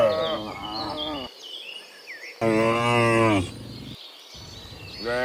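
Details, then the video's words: Dozens of cows mooing in the afternoon while returning from the fields to the pen; loud drawn-out harmonic moos overlap and break off, with faint chirping birds in the background. "Sound Dozens of Cows Mooing in the Afternoon Returning from the Fields to the Pen, the Sound of Cows"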